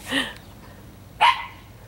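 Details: Speckle, a female Italian Greyhound worked up over squirrels and leaping at a 4-foot fence, gives two sharp barks about a second apart against a quiet background.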